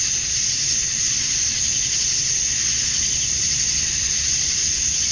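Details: Male cicadas calling to attract females at dusk on a summer night in Georgia, USA: a steady, dense, high-pitched hiss-like drone that never pauses, with a faint low rumble underneath.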